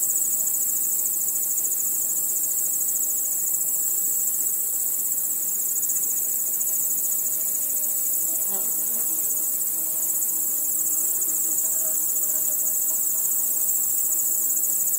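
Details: Crickets chirping at night under a starry sky, a dense, steady high-pitched shimmer of rapid pulsing trills that never lets up, with a brief faint lower tonal sound about halfway through.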